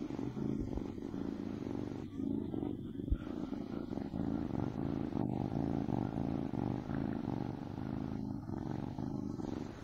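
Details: A drowsy kitten gives a steady, throaty purr, a dense low vibration without pauses, joined by occasional light rustling noises.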